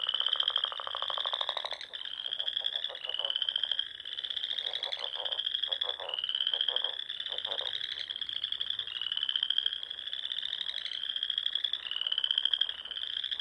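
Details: Frogs calling at dusk in spring across the rolling dunes and ponds of Nebraska's Sandhills; rhythmic rising trills recur about every second, with low rattling croaks in short bursts.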